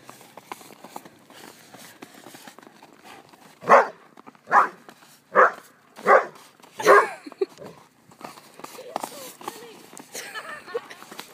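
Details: Hibbert, a poodle testing new boots in the snow, lets out a run of five sharp barks spaced under a second apart, followed by quieter rustling and light movement sounds.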